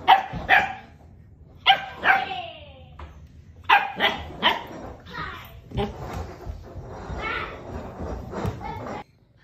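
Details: Bernese Mountain Dog puppy during its first few days in a new home: sharp, high yips and short barks in quick pairs, followed by softer whiny sounds, with people talking over it indoors.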